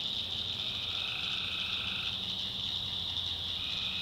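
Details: Nighttime tree frog chorus from a swamp in the North Carolina backwoods: an even, piercing trill throughout, with a fainter lower drawn-out call in the first half.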